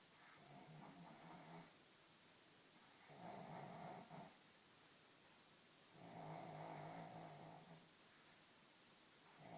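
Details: Snoring from a two-year-old pug sleeping indoors after a busy day: rough, rattling snores roughly every three seconds, each swelling for about a second, with soft breathing between them in a quiet room.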